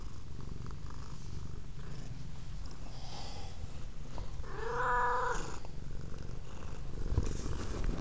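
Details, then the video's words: Steady low purring from Velvet, a female pet cat curious about a camera cord, recorded on a Kodak M1033 HD camera; near the middle a brief higher squeaky sound rises over the continuous rumble. "Velvet is purring"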